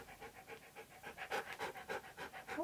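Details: Siberian Husky panting rapidly while arguing with a talking hamster toy: even, breathy pulses about four per second, steady throughout, with a brief squeaky tonal note near the end.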